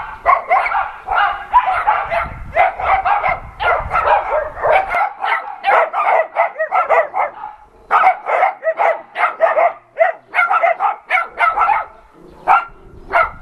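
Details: Adoption-center dogs barking at a visiting NRK television crew: rapid, overlapping barks from several dogs in quick runs, with brief gaps and some low rumble early on.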